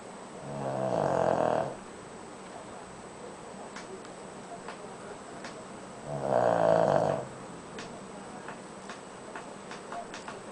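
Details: Koro, a pet Shih Tzu, snores while asleep, giving two slow, rasping snores about five seconds apart with quiet breathing between, followed by faint clicking keyboard taps in the background.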